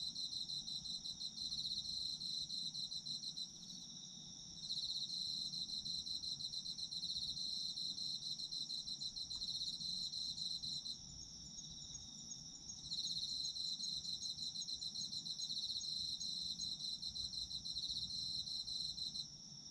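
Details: Autumn insect chorus for sleep: bursts of fast high pulsed chirping separated by short quieter gaps, layered over a constant shrill trill and several callers at slightly different pitches, with faint low background noise.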